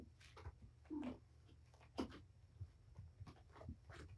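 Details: Domestic cat Patience, a mother of five kittens (four boys, one girl) surrendered to Purrfect Pals, playing with her litter indoors in a small room; two brief soft chirping calls amid thumps, scuffles and scampering of play.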